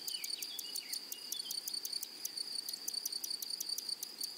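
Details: Grasshoppers in a flowery meadow or prairie: a steady high insect tone under a rapid train of crisp, evenly spaced clicking pulses, about six or seven a second, with faint falling chirps in the background.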